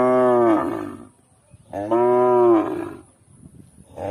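A cow gives two long, deep moos, each holding a steady, slightly falling tone.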